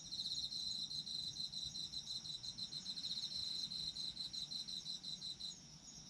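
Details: Autumn insect chorus for sleep: continuous high-pitched pulsed chirring with a steady ringing tone above it, fading slightly in the last second, faint low hum underneath.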